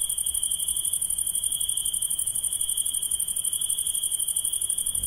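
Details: Insects calling at night produce an unbroken, fast-pulsing high trill layered over a thinner, even higher shimmering band, steady in loudness from start to finish.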